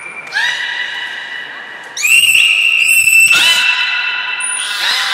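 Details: Belugas Hodoi, Gray and Mirai, kept at Port of Nagoya Public Aquarium, Japan, calling in training on 1 December 2019; long, high, flat whistles rich in overtones, broken by brief rising squeaks, in a reverberant hall.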